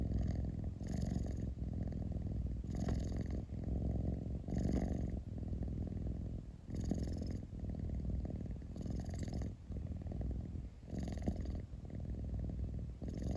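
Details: Indoor recording of a cat's rumbling purr: unbroken low vibration with brighter, breathier pulses recurring roughly once a second to every two seconds, about seven surges in total.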